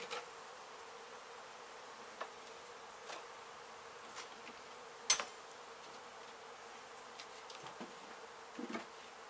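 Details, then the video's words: Honey bees from a hive struck by construction crews in an abandoned home under demolition in Mission, Texas, during a rescue and relocation: a faint, steady buzzing hum throughout, broken by scattered sharp clicks and taps. "Bee hive Removal Demolished home in Mission , Tx"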